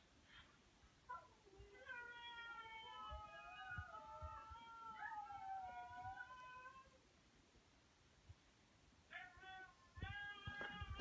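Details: A German Shepherd, mimicking husky howls heard on a video, gives a long, wavering howl that slides gently up and down before breaking off.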